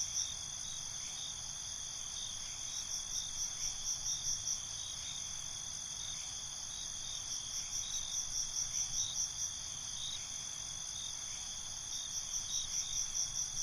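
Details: Crickets at night: a continuous high ringing trill with several separate runs of quick pulsed chirps, each lasting a few seconds, repeating across the recording over soft low rumble.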